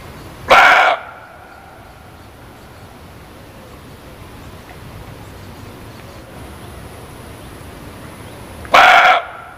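Two abrupt, hoarse barks from a muntjac, each under half a second, ring out with a long pause between them. A quiet background hiss fills the gap.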